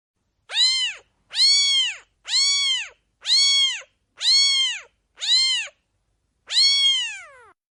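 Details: Seven meows from a kitten, a baby cat, in an even series about one per second. Each is a bright, arched cry. After a short pause, a final meow is drawn out and falls in pitch. Nothing else is heard.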